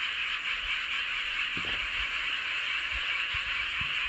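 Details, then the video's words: Frogs chorusing under a full moon in Seowon-myeon, Hoengseong County, Gangwon Province, South Korea; a dense, steady wall of trilling calls fills the whole stretch without pause, with a few faint low thumps beneath. "보름달 아래 개구리들의 합창"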